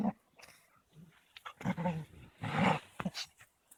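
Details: Caucasian Shepherds Amy, a three-month-old female puppy, and Balu, a 21-month-old male, play-fighting indoors on 13.02.16: low rumbling growls in short uneven bursts with scuffling and rougher, louder snarls near the end.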